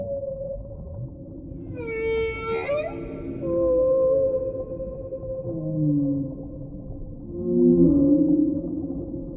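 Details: Whale calls over a deep underwater rumble: tonal moans near the low middle range, a bright rising harmonic cry around two seconds, then long steady hums and a swelling low groan near eight seconds.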